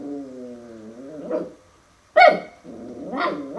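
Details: Max, a puppy seeing a mirror for the first time, gives a low rumbling growl with stacked harmonics, then two sharp barks, one after a brief silence.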